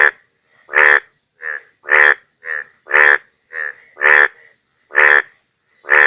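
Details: Indian bullfrogs in Bangladesh during the rainy season: deep, rasping croaks roughly once a second, alternating with softer, clipped croaks in a steady back-and-forth rhythm, nothing else audible.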